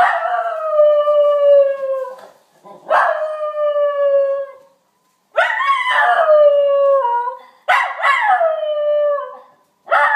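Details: Kobe, a three-year-old pet Schnauzer, howls at fire truck and police sirens: long sliding harmonic howls, each two to three seconds, falling in pitch, repeated four times with short pauses between.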